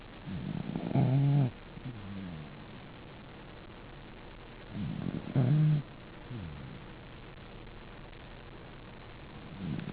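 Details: Dog asleep and snoring, each inhale a loud guttural rattle followed by a softer wheezing exhale, the cycle repeating roughly every four to five seconds over a faint background hum.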